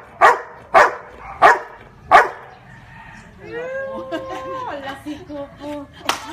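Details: Marley, a Labrador that barks the number of fingers a woman displays, lets out four strong barks about 0.6 seconds apart, followed by a woman's sing-song praise and one final bark.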